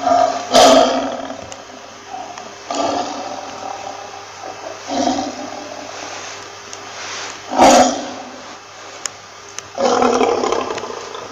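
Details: A lion gives a series of short, forceful roaring bursts, about five spaced two to three seconds apart, each a harsh grunting blast separated by quieter rumbling.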